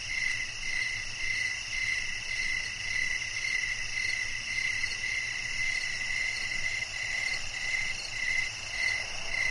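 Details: Night-time chorus of crickets in a relaxing sleep soundscape: evenly spaced, high pulsed chirps roughly two each second ride above a constant thin, ringing buzz of further insects.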